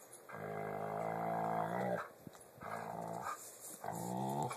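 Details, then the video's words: Pit bulls growling and making odd noises while playing indoors: three drawn-out, harmonic growl-moans of about one and a half seconds each, separated by short pauses, in a small room. "Pitbulls make weird noises while playing"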